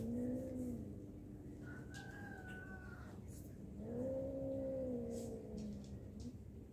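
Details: Low, sustained moaning from a fighting cat. The wavering tones hold steady for several seconds, with a brief higher wail in the middle and a faint background hum.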